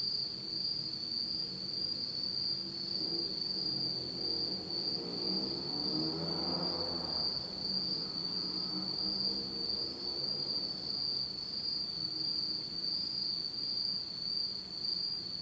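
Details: Insects singing in total darkness on an autumn night in Japan: a steady, shrill, unbroken high trill with faint pulsing throughout, while a soft low rumble swells and fades around the middle.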